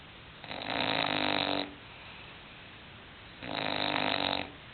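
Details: English bulldog snoring: two long, raspy, rumbling snores, each about a second long, separated by roughly two seconds of quiet breathing.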